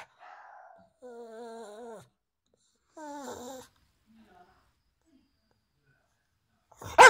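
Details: Pug giving three drawn-out, wavering, moaning vocalizations about a second each, separated by short pauses in a quiet indoor room, followed by faint small noises and a sudden loud thump at the very end.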